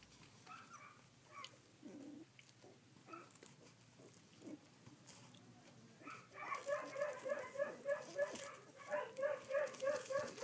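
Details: Collie puppies sixteen days old, filmed 3 June 2013: scattered soft whimpers at first, then a quick regular series of short high squeaks, several per second, through the second half.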